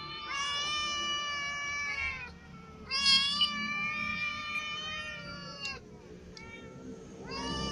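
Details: Domestic cats, a ginger one clawed by a newcomer white cat at its food: sustained wavering meows, the second louder and higher, then a short pause and a fresh meow starting at the close.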